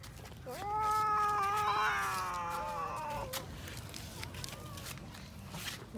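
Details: A cat eating raw fish gives one long, steady meow of about three seconds, rich in harmonics and slightly falling at the end, followed by quieter background noise.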